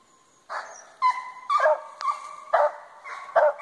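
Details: Hunting dogs barking during a squirrel hunt in South Arkansas: loud, harsh barks and bays repeated about every half second to second, some with a drawn-out yelping tone.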